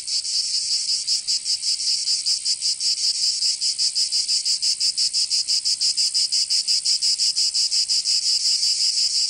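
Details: Cicadas in Provence, southern France, in summer: a piercing high buzz that swells slightly, then settles into rapid, evenly repeated pulses, with no birds or people heard.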